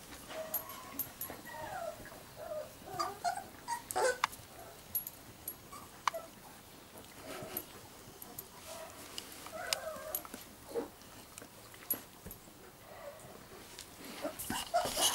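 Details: Giant schnauzer litter, the blackmoore O litter, giving a steady run of thin whimpers and small yips at uneven intervals, several overlapping, with scattered clicks and rustling throughout.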